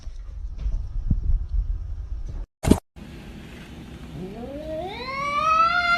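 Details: Kitten meowing indoors: after a low rumbling background and a sharp click, a long drawn-out meow rises steadily in pitch over about two seconds, with bright layered overtones.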